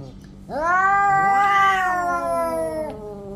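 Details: During a fight between orange cats, a single sustained yowl rises sharply then holds steady, while a second cat's voice arcs up and down over it.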